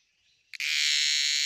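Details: An insect calls during the rainy season: a faint high hiss, a sharp click, then a loud, steady, high-pitched electric buzz.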